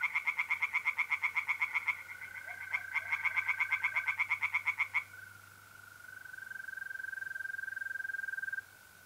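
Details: [0, 0]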